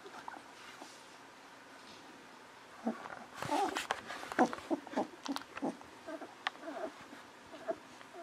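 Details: Golden Retriever babies 11 to 13 days old, from Aiko of Haarby and Lady Dina, quiet at first, then breaking into a rapid run of short squeaks and whimpers, roughly one per second.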